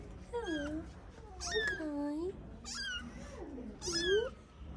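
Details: Calico mother cat that recently gave birth to four kittens, a street cat in Morocco. Four loud, drawn-out meows, each rising then falling, about one per second. A person speaks softly between the calls.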